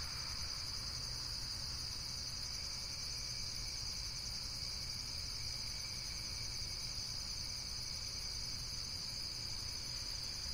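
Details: Unbroken high-pitched insect trilling, like a chorus of crickets, holding an even level the whole time with stacked shrill bands and a deep background rumble underneath.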